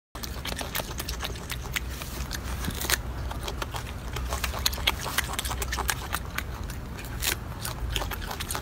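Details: Golden monkey eating with dense, rapid crunching and smacking chews, sharp clicks packed irregularly through the whole stretch over a steady low background rumble.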